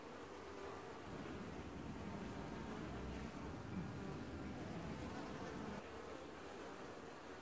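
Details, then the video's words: Honey bees washboarding at their hive in an apiary, early July 2019; a massed buzzing drone over a heavier, rumbling low roar that grows louder after the first second and fades near the end. "Washboarding Bees & Ambient Sounds"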